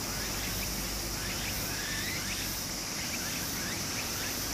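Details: A loud, unbroken high cicada whine fills this summer scene beside a stream in Japan, layered over the broad hiss of flowing water.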